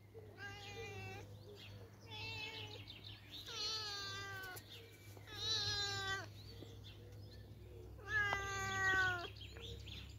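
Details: Teddy, a gentle outdoor cat cared for over the past year, meows repeatedly: about five drawn-out, tonal meows, some rising then falling, spaced a second or two apart, over a steady low hum and a soft human murmur.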